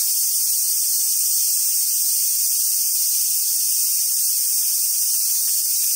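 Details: Summertime cicada chorus at Awaji Island Monkey Center in Sumoto, Hyogo, Japan, home to wild Japanese macaques: an intense, continuous hissing whine at very high pitch, unchanging for the full length, with nothing else prominent.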